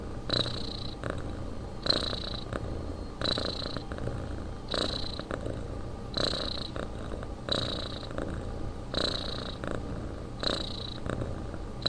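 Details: Domestic cat sleeping, breathing in a steady rhythmic snore or purr: paired soft rasping pulses about every 0.7 seconds, roughly eight breath cycles, over a low constant hum.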